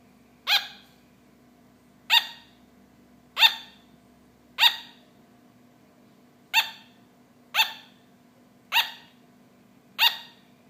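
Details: Pet sugar glider giving eight sharp, high yapping barks at irregular one- to two-second gaps, each a brief bright burst, with a quiet low hum behind.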